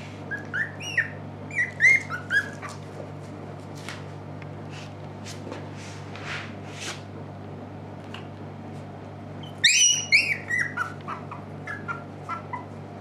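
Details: Puppies at a Shiba Inu and Samoyed breeder in the Netherlands, November 6, 2018, staying awake longer. High squeaky whines and yelps come in a cluster at the start, then a quiet gap with faint ticks, then another burst of shrill squeals.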